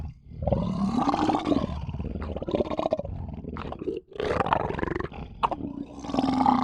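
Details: Lion growling in long, rough snarls whose tone rises and falls. The growls are interrupted by sharp clicks and a brief dip midway, possibly while eating.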